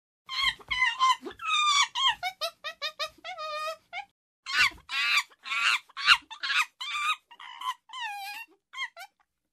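A chimpanzee gives a string of high, quavering cries, each squeal bending and trembling in pitch. The calls come in quick, uneven bursts with short pauses, rising to louder shrieks midway.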